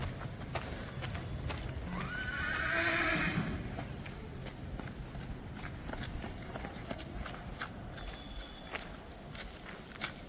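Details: A young colt from a prized bloodline gives one shrill whinny lasting about two seconds, rising sharply then quavering and fading, over steady background noise with scattered clicks and knocks.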